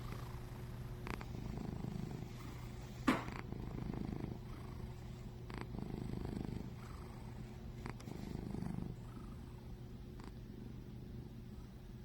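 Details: Chubby cat snoring as it sleeps: continuous deep rumble rising and falling with each breath about every two seconds, a single sharp tap near the third second.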